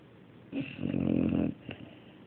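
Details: Domestic dog snoring indoors: a single rough, rasping snore about one second long, with a buzzy low rumble and a breathy upper layer, then a faint short snort afterward in a quiet room.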